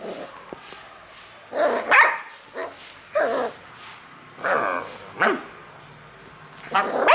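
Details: Beagle puppy barking playfully in response to play calls: short harmonic barks and yips in loose bursts around two, three, four-and-a-half and five seconds, with low background noise between.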